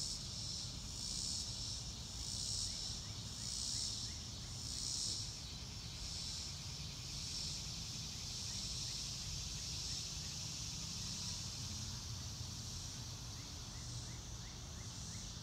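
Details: Crickets chirping outdoors with no music: a high, steady trill pulsing in regular swells for the first half, then evening out into a continuous hiss-like drone, with a few faint thin calls and low rumble throughout.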